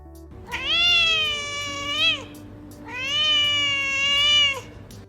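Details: An adult domestic cat gives two drawn-out, tonal meows, each about two seconds long, with faint music beneath; the adult meow is used almost exclusively to communicate with humans, not other cats.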